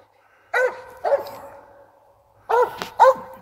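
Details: Dog on a squirrel hunt, barking at a treed squirrel: four sharp, ringing barks in two pairs, about half a second apart within each pair, with a short pause between.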